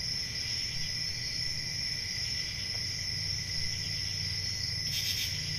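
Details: Crickets on a peaceful rural summer night hold a steady, high, buzzing trill over a lower tone and a faint rumble. The texture stays even until a single louder chirp burst near the end.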